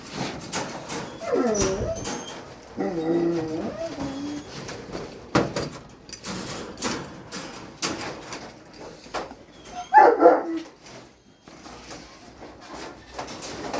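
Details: Rottweilers waiting to eat dinner, several dogs in a group: wavering, drawn-out whines that slide down in pitch during the first seconds, later a short sharp burst, with music playing and household noise.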